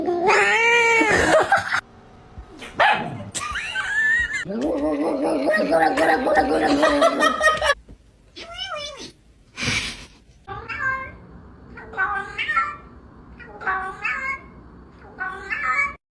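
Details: Domestic cat featured in a compilation of funny cat sounds: loud, wavering yowls and caterwauls mixed with people talking and laughing, then a run of short repeated meows about every second.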